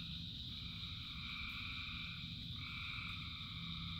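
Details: Thousands of frogs singing together in rain: a dense, unbroken chorus of steady high trilling layers, with a shift in the upper voices midway, over a constant low rumble.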